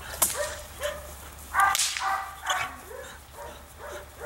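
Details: Female Belgian Malinois attacking during civil drive training: short, harsh bark-like yelps with rising-then-falling tones, repeated roughly every half to one second, mixed with sharp impact and scuffling noises.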